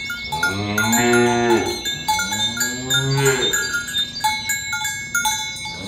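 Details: ['Cattle being herded in the morning toward the pen along village roads, calling others to gather. Two long, harmonic moos rise then fall, each about a second and a half, over ringing cowbells.']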